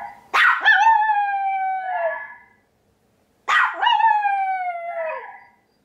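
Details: Male white Pomeranian howling after hearing tiger and water deer sounds for the first time; two long, steady, tonal howls, each starting with a yelp and sliding downward at the end, separated by a second of silence.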